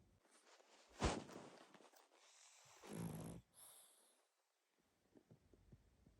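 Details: Sleeping pug snoring loudly indoors: a sharp snorting inhale near the start, then a longer rasping snore about two seconds later, followed by quiet breathing and small clicks in a small room.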